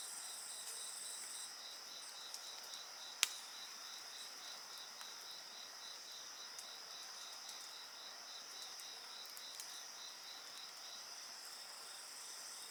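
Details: Steady, high insect chorus with a regularly pulsing trill and constant upper tones, alongside a campfire that gives one loud sharp snap and occasional faint crackles.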